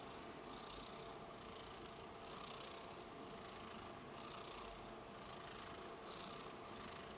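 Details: Rudolph the Red-Nosed Kitten, a pet cat, purring steadily indoors; a soft continuous rumble swells with each breath, roughly every two seconds, with airy hiss on the in-and-out breaths.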